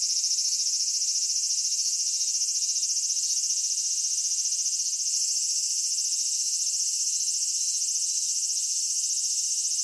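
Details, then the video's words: Japanese summer cicadas, Kitakami, Japan (Michinoku Folk Village, Kitakami Tenshochi): a loud continuous shrill buzz, densely pulsed and steady for ten seconds, with small surges in the upper tones. "夏セミの鳴き声 ミンミンゼミから夕方のひぐらしまで"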